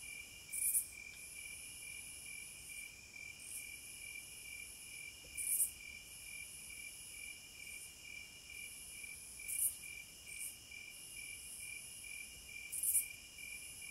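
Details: Cicadas calling in a wild setting. An unbroken, piercing high hum runs throughout, and short loud rasping bursts come roughly every four seconds, four of them in all.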